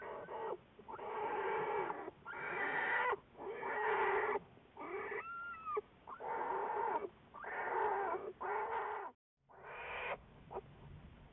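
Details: Wildlife Research Institute black bear Juliet, February 10, 2014: roughly fifty drawn-out, rasping, harmonic cries a minute, each about a second long with a bending pitch, separated by short breaths and one clean silence.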